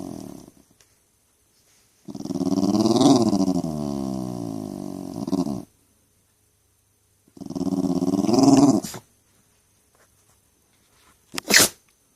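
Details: Pet Jack Russell Terrier complaining constantly, two drawn-out, wavering rumbles of grumbling separated by a pause, then a sharp, brief sneeze near the end.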